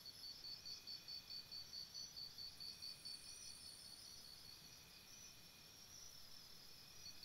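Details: Crickets chirp at night near a campsite, a sharp, high pulsed trill beating steadily about 140 times per minute, easing slightly mid-clip before resuming, layered over a quieter high buzz and gentle background noise.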